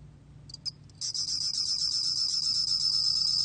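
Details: A few short, high, separate chirps, then a bell cricket settles into a steady, rapid high-pitched pulsing trill. Source is the National Institute of Biological Resources, Korea, 2020, with a low background hum.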